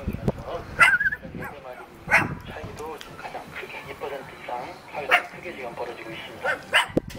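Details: Cute pet dog in Jeonju, North Jeolla Province, Korea, wanting to play, giving four spaced short barks, the first with a brief whine, while people talk throughout.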